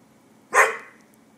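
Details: Portuguese Water Dog, one of two dogs together just after a grooming session, gives a single sharp, loud bark that fades quickly, heard after a person says stop that, no.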